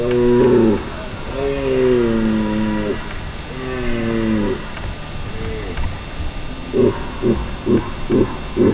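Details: A red deer stag in the rut in Val di Pejo, Stelvio National Park, Trentino, Italy, gives several drawn-out, hoarse, moaning bellows over a second long, ending in a quick run of throaty grunts.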